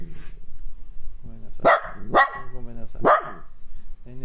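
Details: Kaninchen Dachshund female Nonno, angry about being kept home under a state of emergency, gives three sharp, explosive barks about half a second to a second apart, with a person talking softly before and after.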